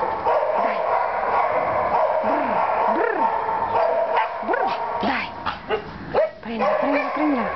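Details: Neve, a young wavy-coated white shepherd dog mixed with Maremmano, caged after 10 March 2012. Short arching whimpers and yips rise and fall repeatedly against a constant noisy background with some voices.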